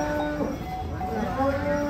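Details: A giant cow being unloaded from a truck for a contest gives a steady, low, droning moo with even harmonic bands throughout, over a constant background hum and faint talking.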